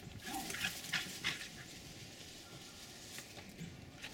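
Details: Two Jack Russell Terriers about 4½ months old, playing and chasing each other in a back yard in Lenexa, Kansas, on January 16, 2012, give a few short, high yips and whines, then scuffling noise.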